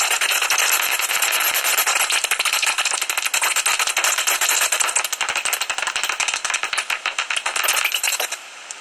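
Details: At a tree-hollow roost near Ibbenbüren, Germany, common noctules call fifteen minutes before sunrise on 17 August 2019. A dense, rattling chatter of rapid clicks runs almost without a break, thinning to scattered ticks near the end.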